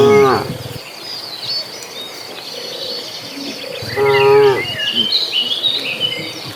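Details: Dozens of cattle migrating toward a green pasture; a short low moo opens the recording, then a second fuller moo around four seconds, with chirping birds and insects continuing in the background.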